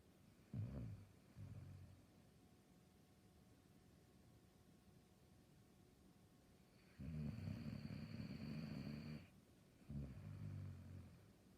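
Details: Saluki snoring: low rasping, rumbling breaths in bursts, a short pair near the start, then a longer two-second snore with a faint higher hiss, followed by another brief rumble; quiet room otherwise.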